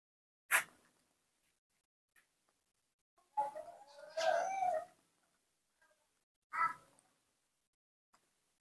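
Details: Spoiled pet baby monkey gives a drawn-out, wavering cry with bending tones lasting about a second and a half, bracketed by short sharp squeaks before and after, in a quiet setting.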